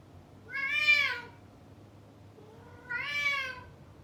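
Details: Male cat behind a closed door, cut off from the female he was chasing, gives two long, loud, wailing meows, each swelling and bending downward in pitch, about two seconds apart indoors.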